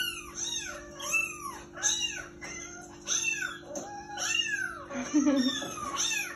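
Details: An indoor Persian cat watching TV meows over and over, each call a brief arched mew, rising then falling, repeated roughly once a second; a steady electrical hum runs underneath, and a person's voice is briefly heard near the end.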